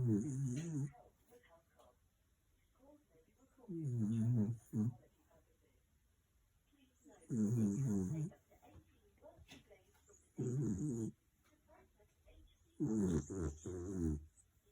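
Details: Sleeping dog snoring out loud: low, rough, rumbling snores in short bursts, each about a second long, repeating every three to four seconds with quiet pauses between.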